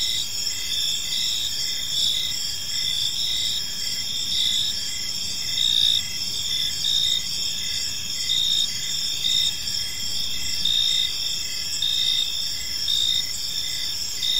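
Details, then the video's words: Park at evening filled with cricket song: continuous high-pitched trills in stacked bands and evenly spaced chirp pulses running throughout, loudness swelling gently at intervals over a low muffled hum. "Park Serenade: Cricket Sounds in a Peaceful Park | Evening Ambience"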